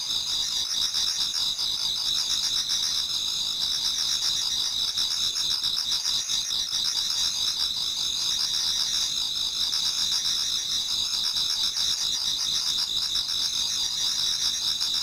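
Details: Japanese garden insects in autumn, singing towards dawn: a constant high metallic ringing chorus, with a softer, lower chirp returning roughly every one and a half seconds beneath the shrill bands.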